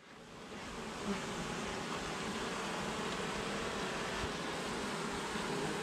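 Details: Honey bees at a kept colony, a dense, steady hum that swells over the first second and then holds an even, continuous buzz throughout.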